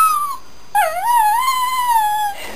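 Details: A male Shetland Sheepdog howls along to a TV show's opening and closing theme music, one long, wavering howl that dips, rises, then holds steady.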